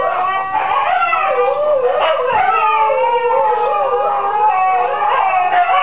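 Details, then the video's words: Female Siberian huskies sing in a group with the neighbour's chickens, long sliding howls layered over one another, some voices holding steady notes while others dip and climb. "Huskies singing"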